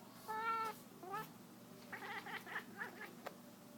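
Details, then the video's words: Pet cat chasing a laser pointer lets out a clear, tonal meow-chirp, then a second shorter falling one, followed by a run of soft rapid chattering chirps. "Cat making wierd noises"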